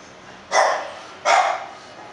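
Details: English Bulldog named Princess from a breeder, giving two short, broad barks about three-quarters of a second apart, each a quick burst over a faint steady background hiss.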